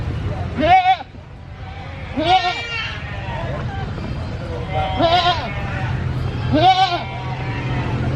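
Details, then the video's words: Loud bleating from a brown goat at a busy animal market: four quavering, arched bleats spaced about one and a half seconds apart, with a low hum of market noise and distant voices between them. "Brown Goat Bleating Loudly at Animal Market!"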